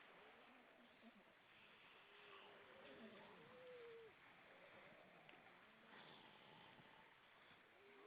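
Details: Grey seals, many above the water at Vilsandi, Estonia, evening of 25 September 2012: a wavering tonal moan rises and falls, swelling into a brief bright peak, over steady broadband wash of water and wind.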